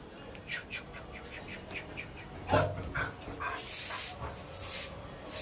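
A Labrador Retriever gives short, sharp barks with a few softer sounds between them.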